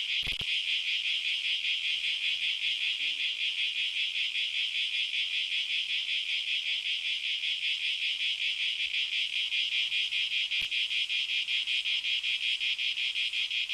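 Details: Crickets chirp loudly at night in a steady, high, pulsing trill that runs on without a break.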